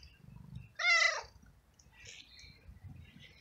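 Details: Homeless male street cat in heat, calling for a female and asking for food in a garden; one loud, short harmonic meow that rises then falls, with low rumbling background noise.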